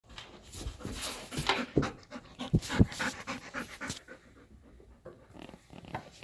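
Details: Golden retriever playing with a cat, panting in quick breathy huffs several times a second, with louder bursts and thumps midway before easing off.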